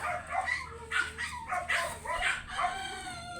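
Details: Oversize American Labrador Retriever during a stud mating session at a kennel house in Manaoag, Pangasinan; brief whining yelps with tonal, rising harmonics, several short bursts over background noise.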